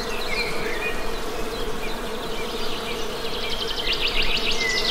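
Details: Honey bees buzzing in a steady, droning hum, with thin whistled bird chirps and short trills scattered above and a brief rapid bird trill near the end.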